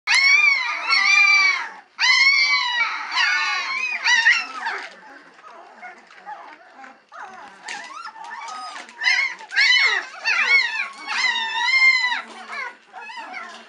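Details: Three-week-old White Swiss Shepherd puppies waiting impatiently for their mother to return to feed them; high whines and squeals in overlapping bursts, several pups calling together with short pauses, some falling-pitched yelps.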